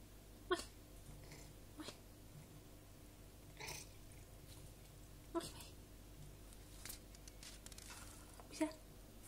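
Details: A talkative female Maine Coon cat, recovering from pneumonia, gives short, clipped meows at irregular intervals over a steady indoor hum.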